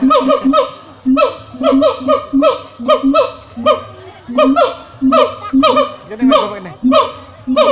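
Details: A captive siamang at Jurug Zoo in Solo, Central Java, gives loud, harmonic hooting barks in rapid bursts, some notes rising and falling.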